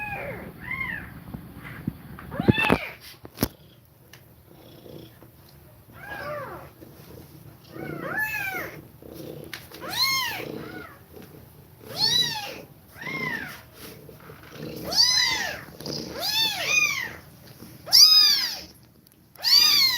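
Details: Nursing mother cat with kittens, breathing fast as they feed. After quiet rustling, high thin mews build into a steady series about every second, growing louder and brighter toward the end.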